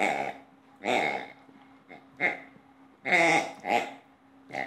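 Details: A playful two-year-old female Old English Sheepdog makes irregular gruff, throaty barks and huffs, spaced unevenly with short quiet gaps between bursts, indoors.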